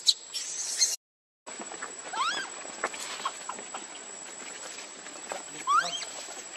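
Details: Lucie, a baby monkey, cries for her mother's milk and is rejected. Two thin, upward-sliding squeals stand out among scattered clicks, taps and rustling against a constant high-pitched hiss.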